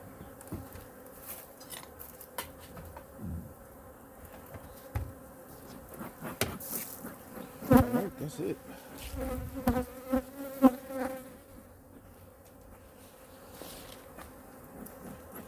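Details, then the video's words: Honey bee colony in hive #2 checked and fed during winter: a continuous low drone runs under frequent clicks and cracks of hive handling, with bursts of louder, pulsing buzz in the middle stretch as the bees are disturbed. "Honey Bee Colony Inspection (WINTER) | Hive #2 Weekly 🐝 Checkup & Feeding"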